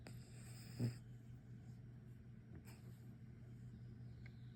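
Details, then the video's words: Pug puppy Sir Pugsly Pugsworth, all tuckered out and asleep, gives a short snort followed by gentle airy snoring breaths, faint against a constant low electrical hum. "Cute Pug Puppy Snoring | Sir Pugsly Pugsworth Tuckered Out!"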